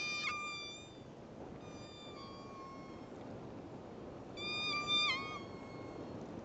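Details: Southern Resident killer whales (Orcinus orca), an endangered population, from one pod recorded underwater on a suction-cup Dtag: squealing pulsed calls, harmonic tones that bend and drop over a hiss of water.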